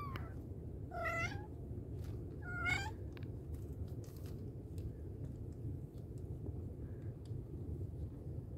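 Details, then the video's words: Mother cat calling her kittens, giving two loud harmonic-rich meows about a second and a half apart, each bending downward, then quiet with faint clicks and a low hum in the background. "Mother cat calling her babies | cat meowing |kittens sound | mommy cat calling her kittens"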